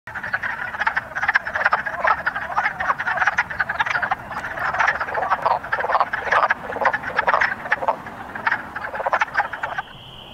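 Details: Spring peepers and wood frogs calling together at vernal pools in woods on a warm early-spring March day, males signalling to females to breed; dense loud chorus of rapid overlapping clicks and croaks, with a brief steady high tone at the end.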